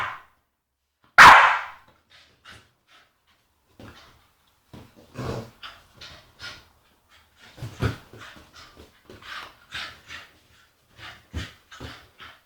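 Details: An agitated female Staffordshire Bull Terrier, indoors, lets out one sharp, loud bark, then a string of short, gruff grunting and huffing noises in uneven bursts, a few each second at times.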